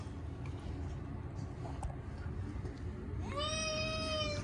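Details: Short-legged Munchkin cat Chacha crying out at bath time, its first in a year. A single sustained meow near the end after a stretch of low rumbling background noise.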